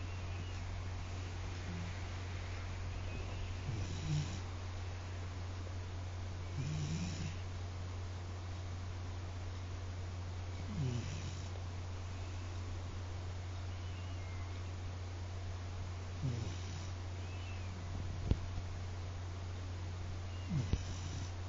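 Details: Koume, a pet Akita dog, in deep sleep, snoring loudly: low rumbling snorts come about every three to four seconds over a steady low indoor hum.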